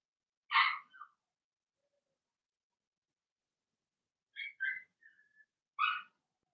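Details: Indoor pen of Blenheim Cavalier King Charles Spaniel puppies, Remy's first litter of two girls and four boys: one sharp yelp, a long quiet pause, then squeaky whimpers, a thin drawn whine and another yelp.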